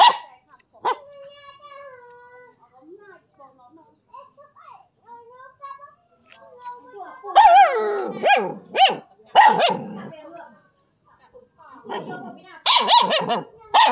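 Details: Dog barking on seeing a non-venomous snake called the frog snake; soft whines and whimpers first, then a run of sharp, high, rapid barks, a short lull, and another burst of excited barking.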